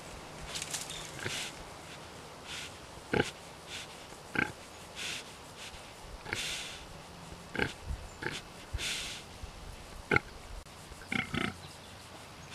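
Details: A large pet pig being tickled, giving short broadband grunts and snorts at irregular intervals, some clustered, with quieter snuffling between and a low steady hum in the background.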